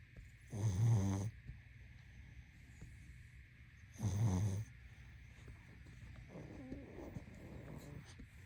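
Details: Sleeping pug gives two rough, rumbling snores about three seconds apart, followed by a softer, fainter breath sound, all over a low continuous hum.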